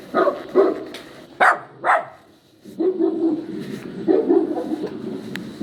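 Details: Poodle puppy crying and yowling: short yelping cries in uneven bursts, some sharp and high, others lower and drawn out, with quiet gaps between.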